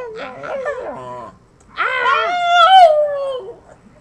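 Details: Pet dog Hank the Tank 'talking' and almost saying 'I love you': a short wobbling whine, a pause, then a longer, louder, drawn-out howl that rises and then slowly sinks.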